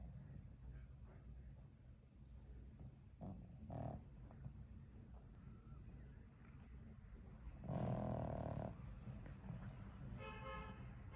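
A Pekingese snores with low, rumbling breaths and a louder snort near the end.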